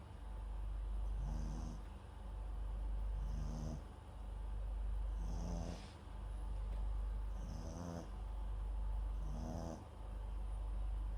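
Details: Snoring of MAX, a sleeping Papillon × Japanese Chin mix, recorded with the microphone at his side: five evenly spaced raspy snorts, roughly every two seconds, each paired with a soft high-pitched nasal whistle.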